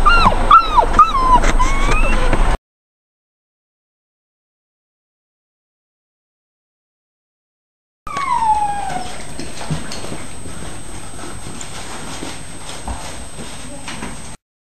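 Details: Beagle puppies on a trip to the vet for vaccination and microchipping, 2 June 2008; high, wavering whimpers and yips rising and falling in the opening seconds, then a silent gap, then noisy room sound with one falling whine.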